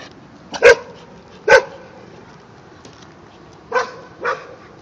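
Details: Three-month-old white Jindo puppy in a standoff with a neighbour's adult dog: four sharp, ringing barks, two close together near the start and two more after a pause, over a quiet background.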